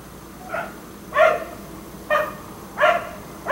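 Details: Black Labrador kept outdoors all day and into the night until 1am, barking steadily; four loud harmonic barks spaced roughly a second apart, with a fainter one before them.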